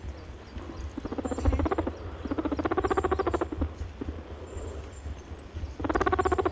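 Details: A happy, contented rabbit (Oryctolagus cuniculus) makes soft, rapid pulsed honking bursts, each lasting about a second, a honking call expressing happiness and contentment.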